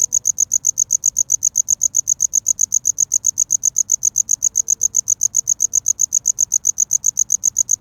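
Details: Cricket singing for courtship, recorded up close: a continuous, very regular series of piercing high chirps, around six per second, with nothing else but a soft low murmur.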